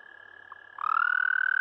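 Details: American toad (Anaxyrus americanus) giving its mating call: a faint steady trill in the background, then a loud, high, even trill starting near the midpoint and rising slightly in pitch as it continues.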